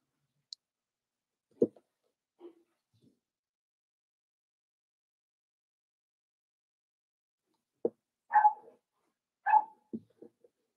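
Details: Four-week-old Cavalier King Charles Spaniel puppies in an indoor home puppy pen, being socialized with other dogs: scattered short whimpers and soft yelps, a long quiet pause, then two louder whining squeaks close together near the end.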